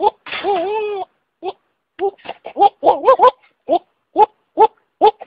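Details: Goats calling in a series of short, wavering, human-like bleats, one longer quavering cry first, then clipped bleats repeated about every half second with brief gaps of silence.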